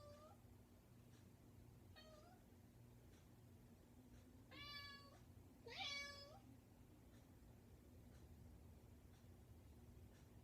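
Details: Persistent pet cat calling at a bedroom door inside a home, giving four meows, two short and faint early on, then two louder, longer wavering ones near the middle, with a constant low electrical hum behind.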